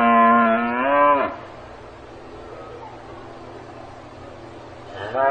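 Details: A cow on a farm opens with a strong, level moo of just over a second that dips at its end, followed by quiet hum, then the start of another moo at the close.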